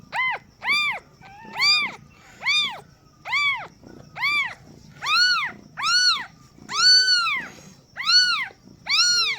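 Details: Shrill arched meows from newborn kittens at their first-time mother's birth, about eleven evenly paced cries, nearly one per second, each sliding up and down, later calls slightly longer and louder.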